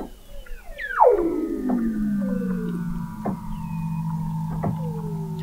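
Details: Weddell seal song from beneath sea ice at McMurdo Sound, Antarctica, November 2017, via an observatory 21 m below the ice: a loud plunging whistle settling into a long low drawn-out tone, with fainter gliding calls layered above.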